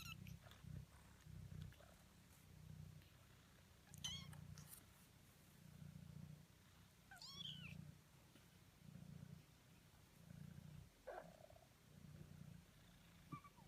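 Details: Young kittens, eighteen days old, purring in a low rhythmic rumble that swells and fades roughly every second or so, broken by a few brief high-pitched squeaks.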